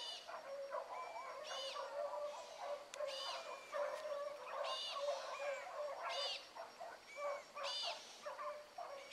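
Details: Young hound pups, among them Ringo, Mingo and Choco, baying while running a rabbit on a morning chase: distant, ringing bawls in overlapping bursts every second or so from several dogs at once.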